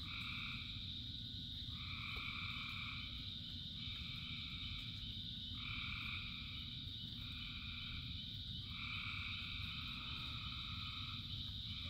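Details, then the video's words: Frogs croaking in the rain, a large chorus with repeated calling bursts about one to two seconds long alternating with short pauses, above a continuous high drone and the deep steady sound of rainfall. "Frogs in Rain 2 Hours of Frogs, Thousands of Frogs Singing"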